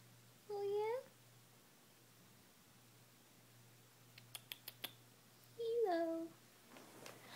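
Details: Ilo, a female Munchkin cat lounging indoors at home and starting to talk: two clear tonal meows several seconds apart, each rising then dropping, with a few soft clicks and taps between them in a quiet room.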